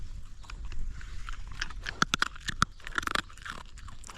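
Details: Young hungry dog gnawing its food, recorded very close: loud crackling crunches and sharp bites of teeth on food, irregular and dense throughout, with a low rumbling background.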